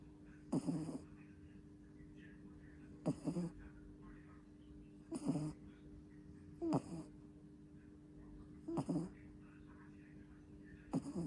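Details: Snores from a two-month-old pup during sleep: regular raspy snorts, some doubled, arriving every couple of seconds against a constant low background hum in a small room.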